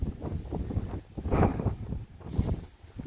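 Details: Gusty wind buffets the microphone in rising and falling rumbling surges during a storm.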